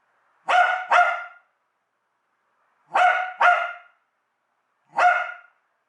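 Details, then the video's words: Pet dog at home barking in reaction to the USB plug and unplug sound it dislikes: sharp, harmonic-rich barks in pairs, a double bark, a second double bark, then a single bark, with silent gaps between. "My dog become crazy when the usb plug/unplug"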